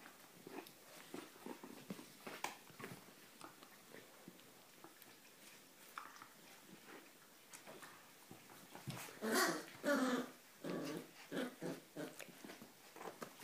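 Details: Ee-red Border Collie (Australian red) indoors, playing with one-month-old puppies: a run of short, rough vocal bursts that swells into a louder, harsher cluster midway, then tapers into spaced grumbles, with scuffling and mouthing noises throughout.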